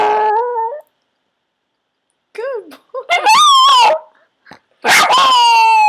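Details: A pet Yorkie, Cherub, learning to howl on command, lets out a steady two-tone howl, then a pause, then rising and falling yips leading into a longer wavering howl.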